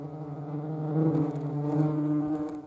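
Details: European hornet (Vespa crabro), Eifel region of Germany: a loud, steady, low-pitched droning hum with strong harmonics, held evenly throughout as the insect hovers nearby.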